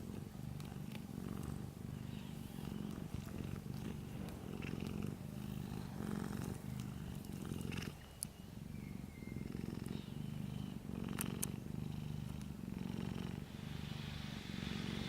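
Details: Sleeping orange cat giving a continuous deep purr, low and throbbing, with a short pause near the middle before the rumble resumes; small faint ticks and a thin whistle-like trace appear briefly.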